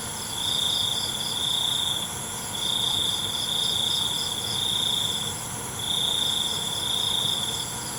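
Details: Night cricket chorus: a shrill, even trill that comes in sustained bursts of roughly two seconds separated by short pauses, repeating steadily against a thin high background hum.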